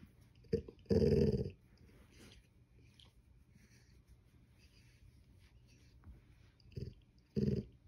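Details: Golden Retriever growling to get more attention indoors; a few short low rumbling growl bursts, the loudest near the start, then long quiet gaps with faint room noise.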